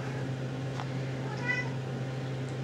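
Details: RagaMuffin kittens, 7½ weeks old, from one litter indoors. A short, soft, faint meow with a tonal, harmonic ring, over a steady low hum and room noise.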